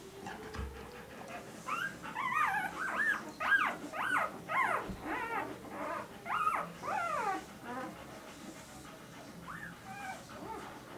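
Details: Irish Setter puppies, recorded 16 April 2011, giving a rapid run of high, arching whines and yelps that rise then fall, about fifteen in quick succession before tapering to a few fainter whimpers.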